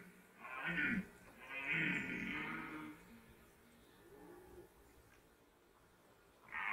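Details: Red deer during the 2021 rut, recorded distant and faint: a short hoarse roar followed by a longer, rough, drawn-out bellow, then quiet background and the start of another call at the end.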